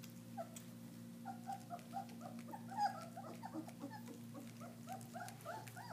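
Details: Several German Shepherd puppies at their first meal of raw meat, giving a busy chorus of short squeaky whines and little yelps that overlap one another, with a steady low hum underneath.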